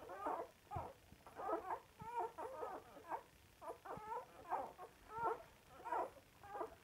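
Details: Samoyeds eating and singing, a series of short, whiny, yodelling vocal bursts around mid pitch, repeated roughly every half second with uneven rhythm, indoors.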